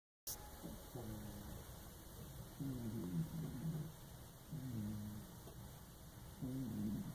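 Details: Lucky, a fat cat asleep in a bathtub indoors, snoring in low rasping breaths, four snores spaced about two seconds apart in a quiet small room.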